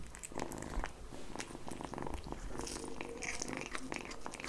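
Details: Indoors, a kitten laps up egg yolk, a steady low purring hum running under quick wet licking and chewing clicks.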